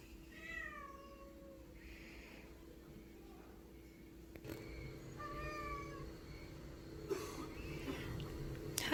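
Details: Stray cat that comes every day asking for food, giving a long descending meow followed by further shorter meows over steady background hum, with some handling noise and a person's voice.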